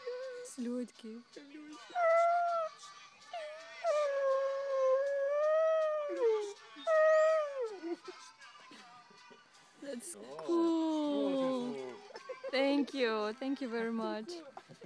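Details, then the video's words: A dog 'singing', recorded in 2012, holds long wavering howls that slide up and down in pitch through the first six seconds. Later, excited human voices and speech overlap more broken, rising and falling cries. "Dog is singing"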